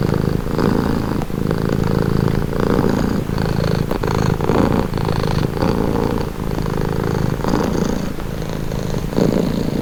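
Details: Relaxing purring from a domestic cat, a continuous throaty rumble rising and falling with its breathing, one faint click near the middle, otherwise uninterrupted.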